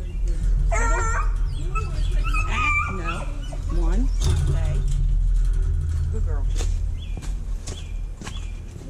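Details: Hounds in outdoor kennel pens at feeding and cleaning time, recorded with a GoPro Hero 5 Black; ringing, wavering bays early on, then quieter whines and short yips under a man's encouraging talk.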